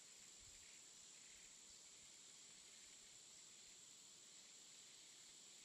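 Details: Afternoon jungle insects keep up a thin, piercing, continuous buzz at constant pitch and loudness, never pausing, with soft rustling noise underneath.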